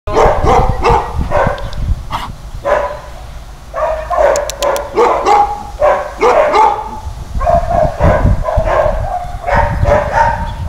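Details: About nine-year-old male Caucasian Shepherd-type dog at a municipal shelter in Środa Wielkopolska, Poland; deep, rapid barking in dense bursts with brief pauses, nearly continuous throughout, a few short higher clicks mid-clip.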